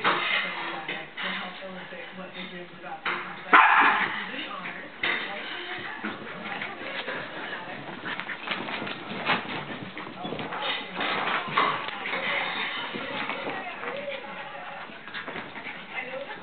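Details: Scottish Terrier puppy named Tyler, about four months old, playing with a Jack Russell-type dog; short sharp barks and yips come in bursts, strongest around the fourth and eleventh seconds, amid scuffling, panting and human voices in the background.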